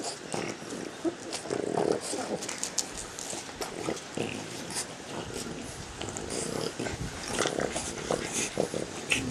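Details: Four French Bulldogs play-wrestling, giving rough, noisy snorting growls and grunts in short bursts over heavy breathing, with scuffling and rustling throughout.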